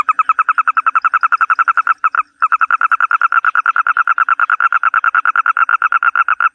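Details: Toad calling in a long, loud pulsed trill, about eight notes a second, with one brief break near two seconds before the steady rhythm resumes.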